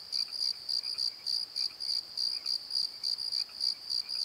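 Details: Nighttime crickets in a valley bottom near a tree, recorded on a Nikon D7100, give bright high chirps in short bursts several times per second, over a faint lower chirping background.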